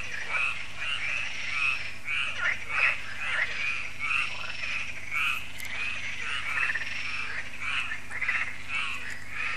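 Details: Many frogs calling at dusk at Lac de Sabatte in France, when solar lights come on; a dense, grating chorus of ratcheting croaks with louder bursts every few seconds over a low hum.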